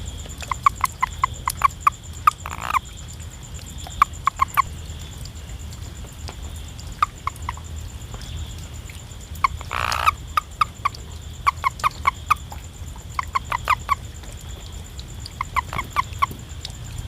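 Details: A frog in a village gives short, clucking notes in quick groups of two to four over a steady insect hum.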